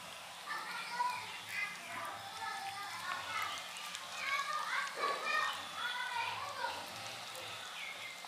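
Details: Hungry kittens mewing for food, many thin wavering cries that overlap in a steady stream, some bending up and down in pitch, over a faint low hum in the background.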